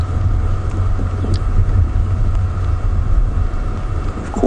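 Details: Steady low engine rumble from a vehicle dominates, with no animal calls heard.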